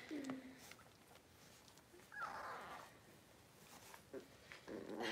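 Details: Blenheim Cavalier King Charles Spaniel puppies, a litter of five born at New Year's, moved indoors to a bigger puppy pen; short high whines and yelps come at the start, around the middle and again at the end, over quiet room noise.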